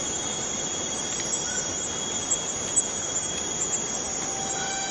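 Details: A constant high buzzing drone comes from forest cicadas. Brief faint whistles rise out of it now and then, along with a few soft taps.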